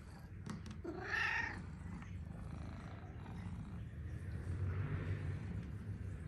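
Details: Talkative male Persian cat in Amsterdam city center welcoming its owner home gives one bright, falling meow, followed by several seconds of low, steady rumbling purr-like sound against a quiet indoor background.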